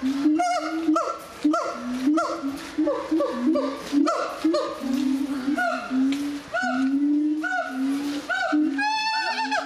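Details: Singing gibbons in 2010 at the Zoo de Doué la Fontaine in France, a dense chorus of rising whooping notes repeated about every half second over lower steady hoots, ending in a fast upward-sweeping trill.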